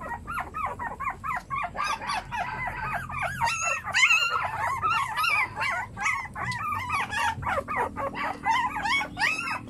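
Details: A crowd of puppies keeps up a constant chorus of short, high squeaks and arched whimpers, many voices layered so tightly that the calls blur into one shrill, restless chatter.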